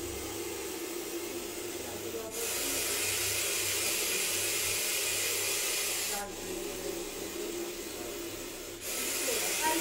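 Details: Russell's viper hissing as it is caught alive: long, loud, breathy hisses lasting several seconds each, split by short pauses, with faint human voices in the background.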